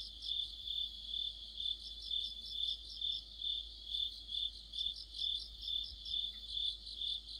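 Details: Under a streetlamp in autumn, a cricket-led insect chorus gives evenly spaced high chirp pulses around twice per second, with a second layer of quicker trills weaving above.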